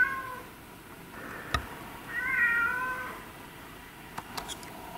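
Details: Single long meow from a domestic cat, rising then falling across a second, framed by a faint call at the start and a few sharp clicks and taps.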